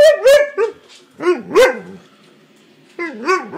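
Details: Siberian Husky complaining about being kept off the bed, giving a run of rising-and-falling yodelling woo-woo calls mixed with short yips, in three bursts with a quiet gap before the last.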